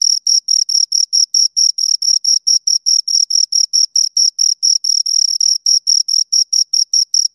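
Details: High, bright chirps from two nearby crickets, repeated a little more than twice per second, each pulse short and metallic, in a quiet setting.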